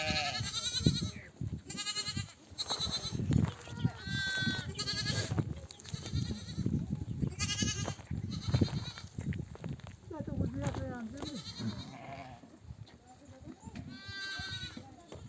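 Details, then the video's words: Many ewes bleat as a nomadic flock comes home from pasture, mothers calling lambs to feed: frequent quavering, nasal bleats from several animals through fifteen seconds, mixed with shuffling noise and occasional people talking. "The sound of mother sheep returning from the pasture to breastfeed her babies"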